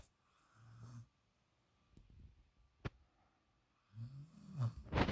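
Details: Sleeping female puppy snoring in another dog's usual spot, Shadow's, for the first time; two low rumbling snore breaths about three seconds apart, with a faint click between them.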